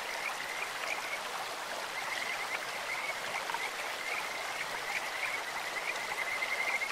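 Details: Kajika frogs in a clear stream: short bursts of high, sweet pulsed trilling recur through the clip, partly masked by the hiss of rushing water.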